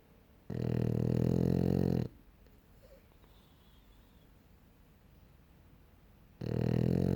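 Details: French Bulldog snoring indoors: a loud, low, rumbling snore lasting about one and a half seconds, a long quiet gap, then the next rasping snore beginning near the end.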